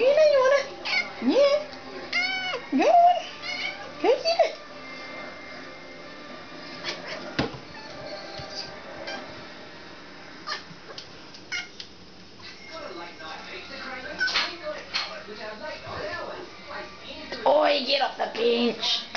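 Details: A little domestic cat worked up over a moth it wants badly, giving weird strained meows and chirping cries in short bursts, several rising-falling calls near the start and end, with a person's encouraging voice and household background noise.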